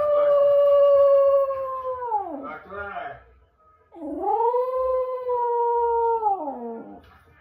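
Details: Jack Russell Terrier howling indoors at home: two long, steady, slightly falling tones of about two seconds each, sliding down at the end, separated by a brief gap with soft voices in the background.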